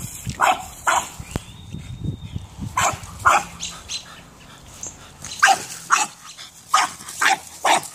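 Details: A French bulldog at play with a soccer ball barks in quick, clipped bursts, roughly two per second and unevenly spaced, over faint background rumble.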